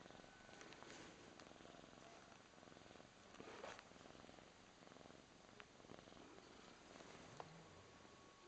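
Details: A Birman cat purrs in a steady, low, rumbling rhythm throughout, while it gives another Birman cat a massage.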